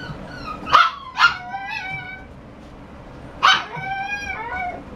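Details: Shiba Inu dog barking: two sharp, bright yaps in quick succession, then after a pause a third, each trailing into a short whiny, harmonic tail; steady low background hum between barks.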